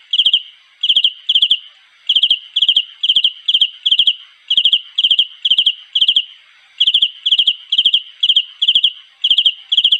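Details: Cricket chirping to attract a mate, giving bright, high-pitched trilled chirps of three or four rapid pulses each, about 130 a minute, with a few brief gaps in the rhythm; background otherwise quiet.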